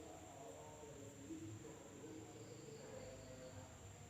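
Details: An Indonesian village after dark, filled with insect sound: one thin, high, continuous whine with softer pulsing chirps below it, steady and even in loudness throughout.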